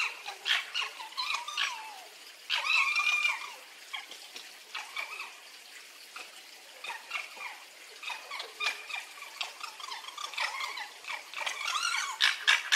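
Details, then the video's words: A fox alternates thin, curving whines with bouts of scratchy chattering pulses. The pitch rises and falls between bursts, with a brief louder stretch near the start. "¿Cómo hace el zorro? + descripción 🦊 Sonido del zorro, onomatopeya del zorro"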